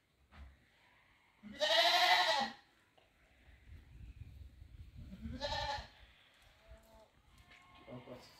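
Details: Goat entering a house: one strong quavering bleat followed by a shorter second bleat, with rustling and low handling noise between.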